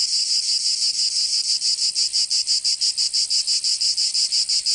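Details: Cicadas of Provence in southern France sing in summer: piercing high buzzy pulses repeated about three times a second in a steady rhythm, nothing else audible.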